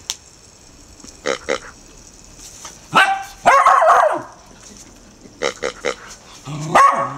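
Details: Four-month-old Irish Terrier puppy Murphy, a female, frightened by a snorting pink rubber pig toy: short sharp yips in pairs, a harsh drawn-out burst near the middle, then more clipped yips.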